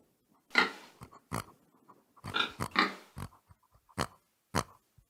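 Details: Pig giving a handful of loud, raspy grunts and short squeals separated by near silence, about one every half to one second, in a quiet setting.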